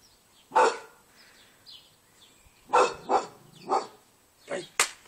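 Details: A male English Bull Terrier gives loud, gruff barks in irregular bursts, some doubled in quick succession.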